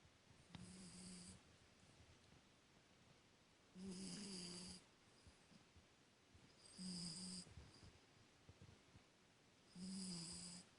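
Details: A 19-week-old Cavalier King Charles Spaniel puppy snores in slow, rasping breaths about every three seconds.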